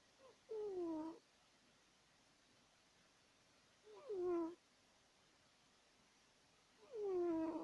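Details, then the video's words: Pet cat asleep and snoring loud enough to be mistaken for a person; three rasping, tonal snores that dip in pitch, coming at uneven intervals of three to four seconds. "Our Cat Woodward Snoring!"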